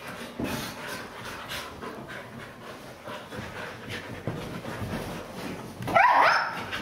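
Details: Siberian Huskies at play on a couch indoors: quiet breathy panting and shuffling, then a sudden short, higher-pitched yelping whine near the end.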